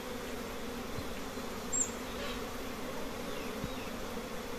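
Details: Many colonies of honey bees at their nests give a constant, even, low-pitched droning buzz with a brief faint high chirp partway through.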